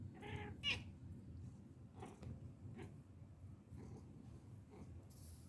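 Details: Jealous pet cat meowing indoors: a string of short, nasal meows, the first louder and higher with a sharp rise, then softer meows spaced about every second over a low room rumble.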